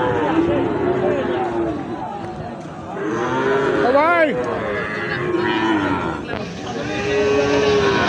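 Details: Sahiwal bull calves for sale at Ambari cattle market, held on Fridays and Mondays; several harmonic bellowing moos, one loud wavering call near the middle, with constant crowd chatter and bargaining voices throughout.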